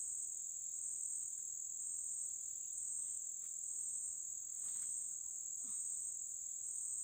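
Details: Cicada in the Amazon rainforest near Lago Amanã, Brazil, heard from a riverside community's forest clearing: a steady, unbroken high-pitched buzzing drone with a fainter lower hum, plus a few brief soft knocks and rustles.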